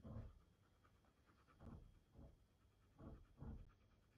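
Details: A husky panting while meeting a puppy for the first time: breathy pulses in a fairly even rhythm, roughly every half second to second, with little else heard.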